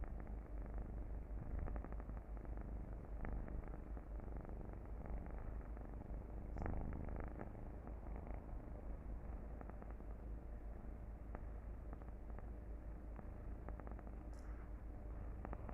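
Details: Domestic cat purring, played back as a meditation soundtrack; a long, unbroken low rumble with steady pulsing, occasional soft clicks and a brief sharp high tick midway.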